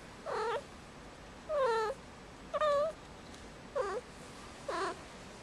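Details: Indoor kitten Marmalade, five months old and in heat on Christmas Eve, utters five short, bent meows roughly a second apart, each quickly rising then falling with bright harmonics, over a quiet room background.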